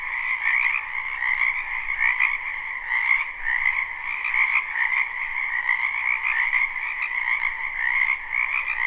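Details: Spring wetland frog chorus recorded live at night-time sleep length: overlapping croaks merge into a steady buzzing wall of sound in two bands, with small swells in loudness and nothing else audible.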